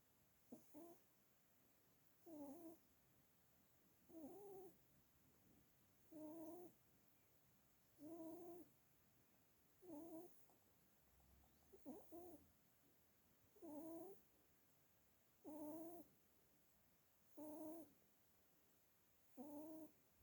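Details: Bunny Bart, a pet rabbit, snoring through a mid-afternoon snooze while leaning against his pen: soft, wavering nasal snores repeated steadily about every two seconds, each lasting under a second, with a quiet room between.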